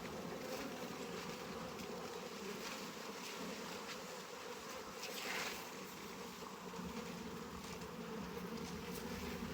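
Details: Honey bees swarming around an opened backyard hive while heavy frames are lifted and moved, the top frames filling with honey; a dense, steady droning hum holds throughout, with faint rustling and handling noises.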